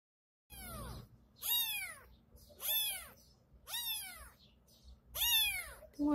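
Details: Baby tabby kitten in a case, meowing in four loud, high, falling cries about one second apart, each with rich harmonics and short pauses between.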